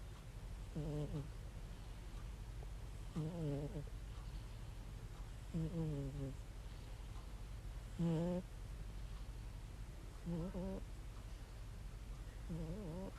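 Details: Domestic cat snoring heavily while asleep and looking content: six low, rumbling, harmonic snores arrive steadily about every two and a half seconds in a quiet room.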